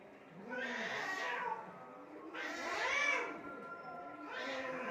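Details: Three drawn-out, arching yowls from cats fighting by mud and water in Assam, India. The middle wail is the loudest, and softer moaning fills the gaps.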